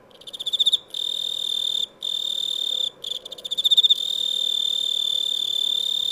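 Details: Chirping cricket: a steady, high, shrill trill that pulses into rapid chirps at the start, breaks off briefly three times, then runs on continuously.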